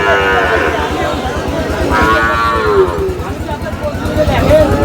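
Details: Sahiwal bull calves at a Bangladeshi cattle market, bound for Daudkandi, Comilla; a drawn-out harmonic lowing call midway and a brief higher bleat at the end, amid constant talking, crowd noise and low engine rumble.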